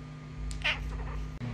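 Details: Cooter, a pet cat known as a talking kitty, gives a short, high, bright meow in a small indoor room, while a steady low hum runs underneath.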